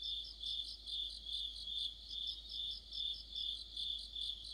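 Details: Autumn insect chorus led by crickets near a streetlight: a continuous shrill trill pulsing in regular beats roughly two to three times per second, overlaid throughout by a second, higher, quickly pulsed chirper.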